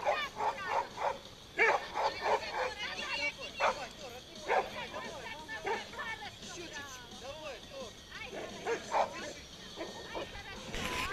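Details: A pit bull at play in a tug-of-war game lets out clipped barks and rising yips in irregular clusters, some louder bursts near the start, mixed with human voices.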